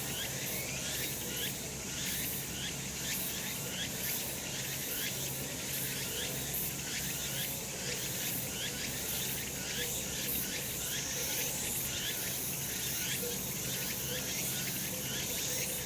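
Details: Cicadas in full summer chorus on a sunny mountain slope, a loud sustained metallic buzz high in pitch with steady rhythmic pulsing roughly twice per second, little else audible.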